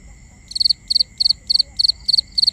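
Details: Steady, regular nocturnal cricket chirping, seven shrill pulsed chirps in a row at about three per second, clear against a quiet, faintly humming background.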